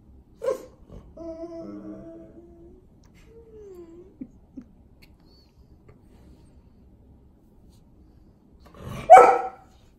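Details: Male Golden Retriever at home whining to be let outside, asking for attention: steady high whimpering tones, then a short curving whine, a long pause, and one sharp bark-like yelp at the end.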